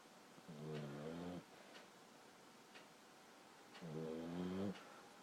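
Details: Sleeping Boxer puppy, 14 weeks old, gives two low, buzzing snores about three seconds apart, each lasting roughly a second, with quiet hiss between breaths.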